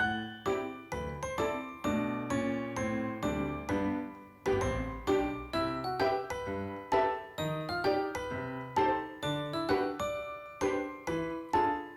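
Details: Bright tinkling glockenspiel-style children's music plays throughout in steady bell-like notes, with no animal voice audible.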